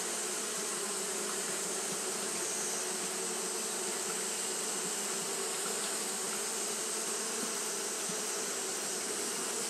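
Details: Japanese honey bees fanning continuously on a hot day; a steady, unbroken droning hum with even loudness throughout, layered over a bright, constant high hiss.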